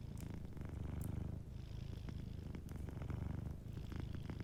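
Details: A sleeping cat's soft purr, a deep throbbing rumble that swells and eases with each breath, under faint crackling from a warm fireplace.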